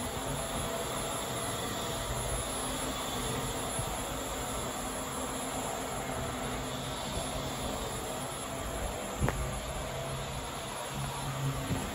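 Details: Steady broadband hiss and low mechanical hum fill the recording, with a single brief click and no animal sounds.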